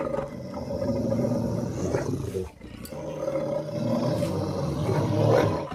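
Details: Two Rottweilers locked in a fight give continuous deep, raspy growling with fast, uneven pulses, dipping briefly before swelling louder again, with a faint human voice.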